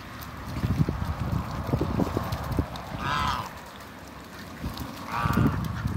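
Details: Two drawn-out nasal quacks about two seconds apart from a pair of Mallards kept at a waterbird farm in Skydra, with low clattering and rustling underneath.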